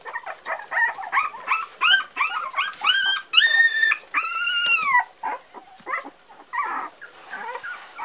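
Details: Four-week-old Parson Russell Terrier puppies give rapid high whines and yips, short rising and falling squeals tumbling one after another, with a few longer arched cries in the middle before the calls turn fainter and choppier.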